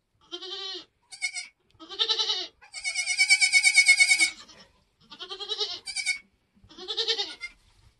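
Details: Homestead Nigerian Dwarf goat at kidding time, as kids are born: a run of about seven wavering, nasal bleats, one long drawn-out cry in the middle, each shaky and pulsed, with short quiet gaps between.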